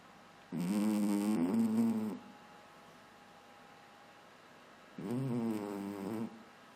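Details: Domestic cat asleep and snoring, two drawn-out grating snores spaced about four and a half seconds apart, each rising slightly then fading, with faint room hiss in the pauses.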